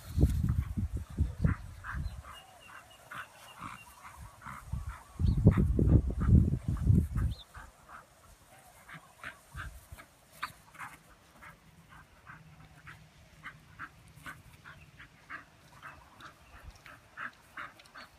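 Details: Two Miniature Bull Terriers, an adult and a new puppy, play together: low rumbling growls, then a run of short, high squeaky yips.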